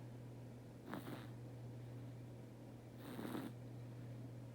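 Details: Teto, a pet cat, snoring while asleep indoors: two soft, breathy rasping snores about two seconds apart over a steady low electrical hum in a quiet room.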